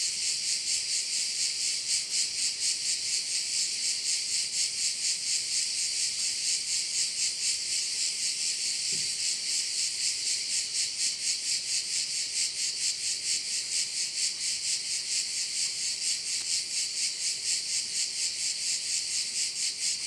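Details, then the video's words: By a bay on Korčula, Croatia, crickets give an intense high, rasping drone that throbs in clear regular pulses about twice per second, steady from start to finish. "View of one of the bays in Korcula with sounds of crickets"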